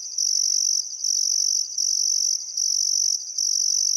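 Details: Crickets chirping on a still summer afternoon at sunset beside the Barcoo River, Welford National Park, Outback Queensland, Australia: a dense, high, buzzy trill in long bursts broken by brief pauses, roughly one break per second.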